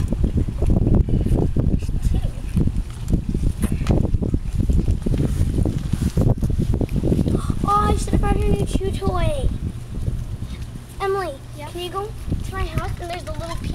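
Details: Shau Bai, a 50-day-old Coton de Tulear puppy, gives a run of high, curving squeaky whines and yelps in its second half, after heavy wind rumble and people talking outdoors.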